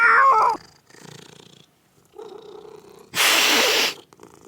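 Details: Playing kittens make a short loud mew, then softer low mewing, followed by a sharp broadband hiss-like burst near the end.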